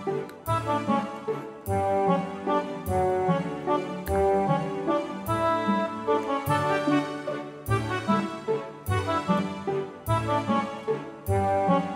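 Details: Brass-led instrumental music with a steady beat, chords changing about every second; no animal sound is heard.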